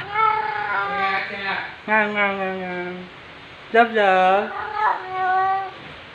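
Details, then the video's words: Black female cat in heat, indoors, 23 September 2020, greeting her owner with loud demanding calls: a series of long drawn-out yowls and sliding meows over about six seconds, some wavering, with a human voice mixed in. "My Black Cat (Pepper) Is Driving Me Crazy with Her Demonic Yowling, Growling, and Noises"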